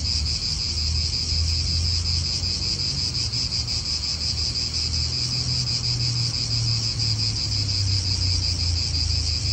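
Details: Steady high buzzing of cicadas in an Italian park, pulsing rapidly and without pause, over a continuous low drone of wind and distant cars.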